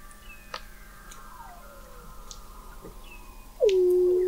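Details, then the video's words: Under the sea ice of McMurdo Sound, Antarctica, Weddell seals call in November 2017, picked up 21 m below the ice: faint long falling glides and clicks, then a loud low swooping tone that dips and holds steady at the end. "Song of the Antarctic Weddell Seal"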